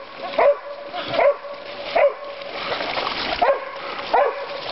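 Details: Dokota, a female dog, barking on Father's Day at Board's Crossing on the Stanislaus River, California, in great weather; sharp barks at irregular intervals, about five in under five seconds, over a steady background hiss.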